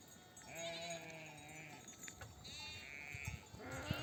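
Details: Mother sheep in a nomadic desert flock bleating to call lambs to nurse on return from pasture; two long wavering harmonic bleats, one near the start and another midway, over quiet background.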